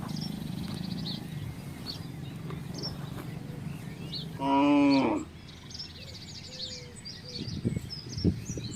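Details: Village cattle crossing a residential estate to find grass and water; a single loud, resonant moo lasting under a second, preceded by low rumbling noise and accompanied by scattered high bird chirps and a couple of knocks afterward.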